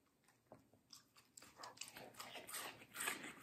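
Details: Middle the Samoyed, a medium-size female dog, crunches juicy watermelon indoors for an ASMR food review. A few quiet early bites build into dense, loud, wet crunching that grows steadily through the final second.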